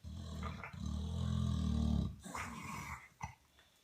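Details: Sleeping pet dog snoring loudly indoors, a low rumbling, growl-like drone lasting about one and a half seconds, followed by softer breathy snorts and wheezes.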